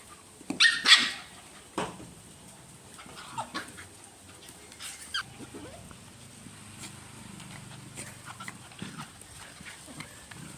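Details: Puppies crying while their mother dog teases them and steals their ball, recorded in real life: one sharp high yelp near the start, then scattered soft squeaks, clicks and scuffling.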